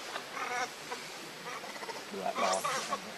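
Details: Baby monkey Leo, hungry, crying as it begs its mother for milk: short whining harmonic cries near the start, then a louder, strained wail late on over a faint hiss of background noise.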